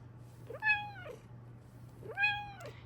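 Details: Two loud, clear meows from a female pet Bengal cat indoors, each arching up and then sliding down in pitch, about one and a half seconds apart, over a constant low electrical hum.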